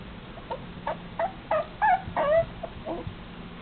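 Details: Red long-haired Dachshund, a male puppy, indoors, giving a run of short high whimpers that rise and fall, about three a second, growing louder toward the middle then fading, over a steady low hum.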